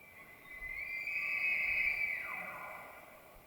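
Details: Bull elk bugle in the rutting season, White Mountains of Arizona: a piercing high whistle held for about a second, then dropping sharply in pitch.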